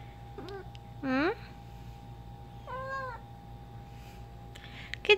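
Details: Pet cat Ginger mumbles while playing fetch with her favourite toy: a quick chirp, a loud rising meow, then a softer arched meow about two seconds later; low household hum and a brief click at the end.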